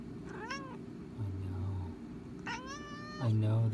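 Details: Excited pet cat being teased indoors, giving weird rising-falling meows, one near the start and a longer one around two and a half seconds, over a low droning hum and a woman speaking softly.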